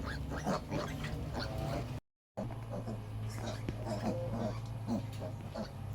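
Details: Piglets whose mother sow refuses to nurse them, so they are given a milk supplement: short harmonic squeals and grunts repeat throughout, mixed with human talk and a brief break in sound.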